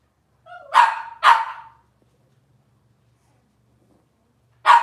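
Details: From Robin's litter of Cavalier King Charles Spaniel puppies indoors, two rapid high yaps half a second apart, a short squeaky note before them, then silence and one more yap at the end.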